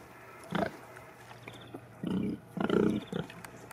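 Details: Sattelschwein or Bentheimer Landschwein farm pigs giving three longer, rougher grunts, the last two drawn out and throaty, with a low hum underneath.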